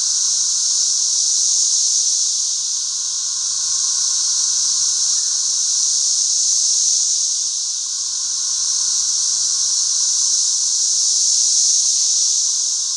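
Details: Periodical cicadas of the 13-year brood swarm over a back yard by the thousands, their massed call a steady piercing hiss with a lower humming layer, pulsing in loudness about every four to five seconds.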